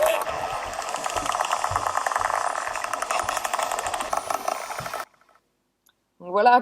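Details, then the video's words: Pantropical spotted dolphins recorded underwater around a boat, likely from large resident groups of 300–500, communicating and echolocating: dense, rapid click trains with faint high whistles in a rather noisy chorus. "Je vous propose d'écouter le son des Dauphins tachetés pantropicaux."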